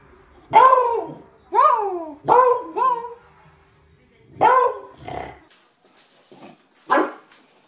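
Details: Beagle baying in short harmonic howls, about six bursts across eight seconds, each sliding up and then down in pitch, two closely paired, separated by quiet gaps with faint fainter yelps near the end.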